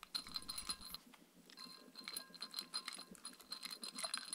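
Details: A Shetland Sheepdog named Mindy works through a raw kangaroo meal with coconut oil at dinnertime. Dense, sharp crunches and wet chewing clicks follow closely, accompanied by a high ringing clink, with a short pause near the second mark.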